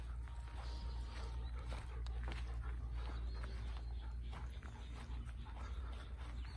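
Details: Panting Golden Retriever beside flowering passion fruit plants in a Kiribata garden, Japan, overseeing pollination. Dense, quick breathy huffs run without pause over a constant low hum and faint rustling.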